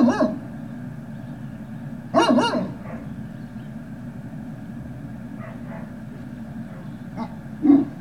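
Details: Great Dane puppies recorded at Puppy Hill, 18 November 2018, around 13:41: a couple of isolated yappy barks separated by long gaps, one double bark midway, over a constant low background drone.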